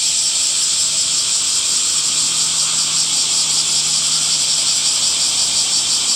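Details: In summer, cicadas keep up a constant high, hissing buzz with a slight wavering shimmer. A faint low hum runs underneath through the middle of the recording.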